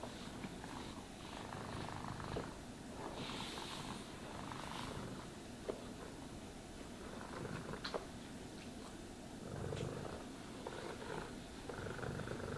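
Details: Purring house cat during a brushing session: an even, low vibrating purr under intermittent scratchy brush strokes and occasional light taps.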